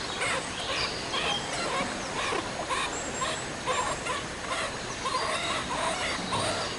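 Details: Meerkat triplets born 24 January at ZOO Liberec, out in cold fresh air for the first time with their parents warming them; short chirping calls repeat about twice a second over a steady rushing background.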